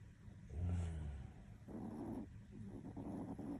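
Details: Toy Poodle named Hapi, deeply asleep, snores with a low rumbling drawn breath followed by softer rasping, breathy exhalations.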